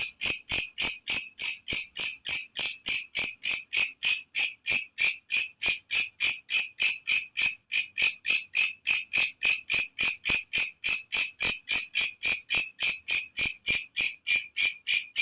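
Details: Katydid calling at night, loud and shrill, used as a master sound for training songbirds: a high buzzy pulse repeated about three times a second in a steady, unbroken rhythm, with no other sounds.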